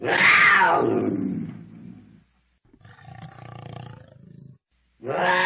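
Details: A cougar gives a harsh scream that starts high and slides down over two seconds. A rougher, lower growling stretch follows after a pause, then a new cry begins.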